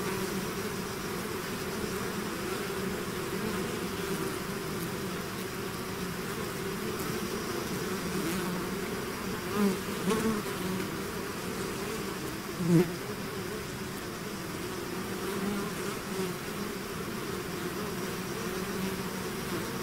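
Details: Honeybee swarm buzzing outside its hive: a dense, steady drone of many wings, low humming bands wavering around the same pitch throughout, with a couple of brief louder passes by single bees.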